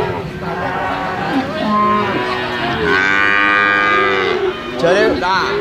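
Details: Brahman and Limousin calves at a cattle sale, mooing in drawn-out harmonic bawls that rise and fall, with overlapping calls from several animals and a burst of voices near the end.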